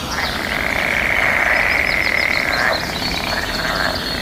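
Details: Frogs in the mating season calling together: a loud, continuous grating chorus that drops away after about three seconds, overlaid by quick repeated high bird chirps in a natural setting.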